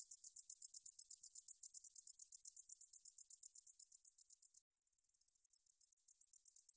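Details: Katydid from a 2020 Korean National Institute of Biological Resources recording: shrill rhythmic pulsed buzzing for over four seconds, a brief cut, then the same high trill resuming more softly and gradually strengthening.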